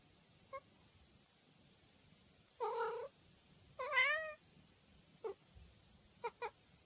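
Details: Domestic cat giving several meows: two longer drawn-out harmonic meows, the second with a wavering pitch, between short chirpy chirrups, in a quiet indoor room.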